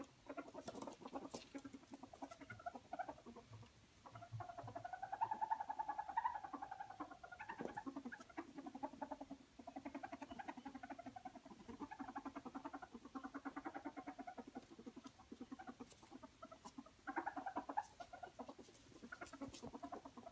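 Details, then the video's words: Ferret squeaking happily while wrestling and playing, with continuous low chuckling sounds and a higher squeaky tone rising at times, alongside soft pattering movement noises indoors. "Frettchen quietsch vergnügt"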